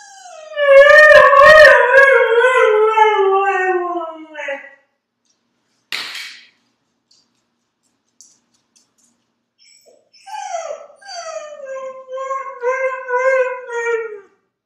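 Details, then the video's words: Dog howls, a compilation item: a long, loud, slowly falling howl of about four seconds, a short sharp noise after silence, then a second, softer descending howl with wavering, yodel-like breaks. "Dogs Howling Compilation"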